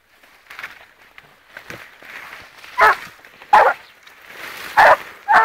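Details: A blue griffon bitch, 14 months old, trailing wild boar: short sharp barks at intervals in the second half, with a man speaking softly and footsteps outdoors.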